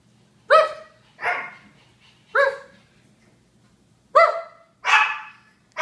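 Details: [1, 'yes', 'barks', 'Japanese Chins barking: five sharp, high yapping barks spaced unevenly across a few seconds, each bright and harmonic with a quick falling tail, over a faint steady low hum.']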